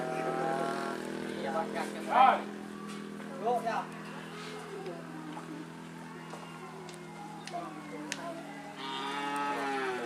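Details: Cattle at a karapan sapi bull race; a long, deep, harmonic moo runs through most of the recording, swelling and fading, with brief shouts and voices breaking in around the second and fourth seconds.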